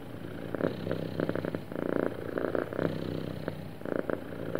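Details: Contented domestic cat giving a smooth, happy purr, a throaty vibrating hum pulsing in short bursts with each inhale and exhale, close and clear in a small quiet room.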